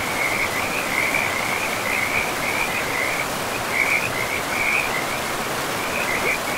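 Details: Frogs calling beside a river in a pristine forest: a continuous, high-pitched pulsing trill with brighter bursts roughly every second, layered over the constant broad rush of the river.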